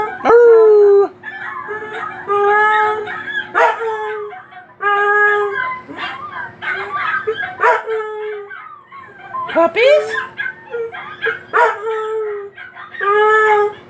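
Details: Dog howling at other dogs, mixed with human speech: short drawn-out howls and yelping tones repeated through the recording, with talking voices overlapping between and during the calls.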